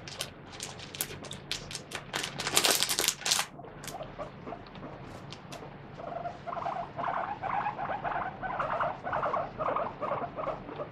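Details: Guinea pig Moru-chan, a free-roaming pet, wiped with a wet tissue during a body check; loud rustling and scrubbing first, then a steady run of repeated squealing screams in the second half.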